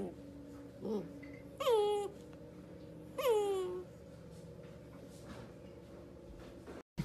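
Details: Dachshund puppy giving two drawn-out, high whining cries that slide downward, each about half a second long and a second and a half apart, with a brief softer yelp before them and a quiet room hum.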